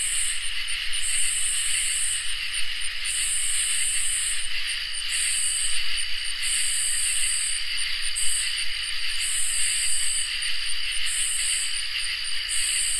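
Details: Summer night insect chorus of crickets and katydids: pulsing high raspy katydid phrases, some separated by quick double ticks, repeat steadily over a continuous ringing cricket trill.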